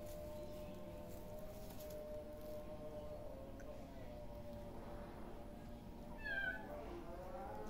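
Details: A playing kitten gives a single short, high meow that slides downward near the end, heard over a steady low background hum after a stretch without calls.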